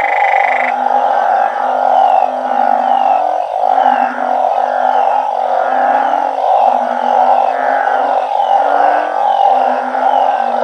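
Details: Captive-bred banded bullfrogs and balloon frogs calling loudly all night in a backyard organic garden. Low, pulsing moans follow one another roughly every second within a thick, unbroken mass of frog voices.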